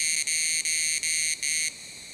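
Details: An unidentified Tanna cicada, possibly Tanna karenkonis, singing in Taitung, Taiwan, at 1000 m. It gives a high, ringing tone broken by quick breaks, then falls silent. The species sings in groups.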